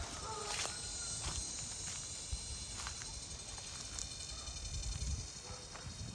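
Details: Cicadas keep up an incredibly loud, steady, high, shimmering drone beside a rice field in Mindanao, Philippines, under hot sun after a long drought and newly arrived rains, with footsteps and rustling nearby.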